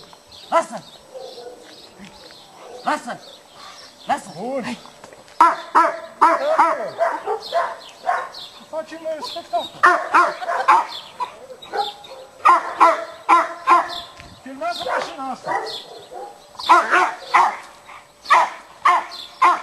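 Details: Cane Corso barking aggressively during stick training at a utility dog training school in Piatra Neamț: loud, harsh barks in rapid irregular volleys, with pauses and human voices mixed in.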